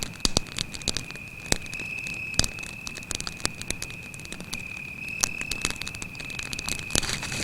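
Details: Cricket at night beside a campfire in a forest: a steady, unbroken high-pitched trill holds one even tone throughout, while sharp crackles and pops from the burning fire break in irregularly, several louder snaps standing out.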